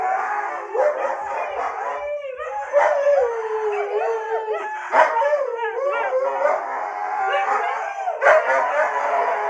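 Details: Husky of the Siberian breed reacting to a "no" with continuous talkative howling, pitch sliding up and down in looping wavers, punctuated by sharper yelping accents every couple of seconds.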